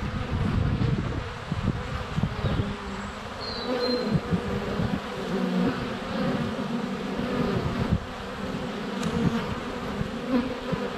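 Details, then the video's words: Honey bees in flight at a hive entrance on a sunny February day, filmed up close with a GoPro Hero 7 Black; a dense, steady low buzzing of many wings with droning tones shifting in pitch, plus a brief high whistled bird note. "Honey Bees - ambient video and audio"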